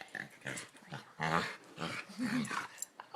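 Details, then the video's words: Pet dog making strange frog-like noises, set off by having his chin touched; short croaking, grunting bursts with stacked harmonics, several in quick succession over about three seconds, recorded indoors. "Strange dog makes frog noises"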